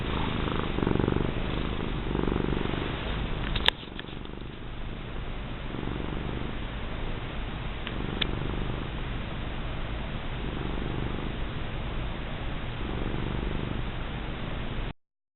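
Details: Female house cat purring under a rubbing indoors: low, rhythmic rumble rising and falling with each breath, louder early on, a sharp knock near four seconds, then softer steady purring to the end.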